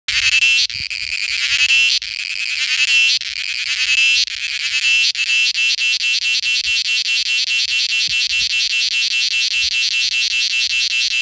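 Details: Indian cicada mating call: loud, harsh high-pitched buzzing broken by short gaps in the first seconds, then settling into a steady, rapidly pulsing drone, with faint low rumbles underneath.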